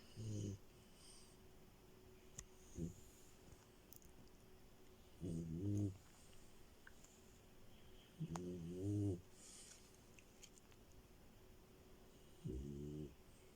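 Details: Female Frenchie Milo dozing on the bed gives short, buzzy, vibrating snores, about five bursts spread over thirteen seconds, some doubled, each a low rattling rasp against a quiet indoor background.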